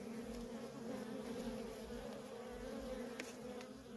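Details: Steady droning of many worker honey bees flying at a feral colony, a thick even buzz with a faint click or two over the hum.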